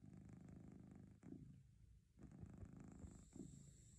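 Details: Domestic cat purring steadily, a low rumbling vibration in alternating inhale and exhale phases, each roughly one to one and a half seconds long, with brief breaks between breaths and a faint high electronic whine in the background.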